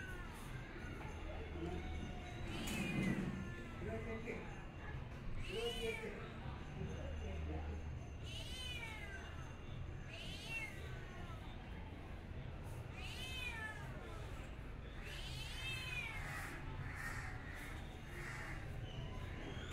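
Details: Cat giving a run of drawn-out, arching meows with rich harmonics, several in close succession through the second half, over a steady low background rumble.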